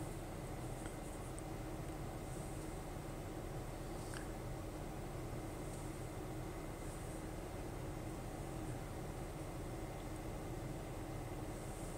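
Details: Steady indoor hum like a fan or air conditioner runs throughout, with a faint high tone and no animal voice.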